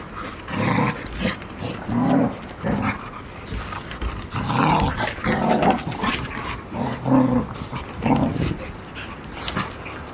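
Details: Playing Golden Retriever puppies, five siblings 144 days old, filmed 15 September 2018 in Ain village, Japan; throaty growls come in pulses every second or two, mixed with scrambling and rustling.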